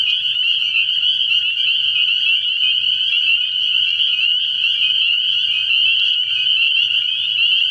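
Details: A dense night chorus of spring peepers at a frog pond early in the year, countless high, shrill peeps blending into one steady ringing trill, with a bullfrog also audible.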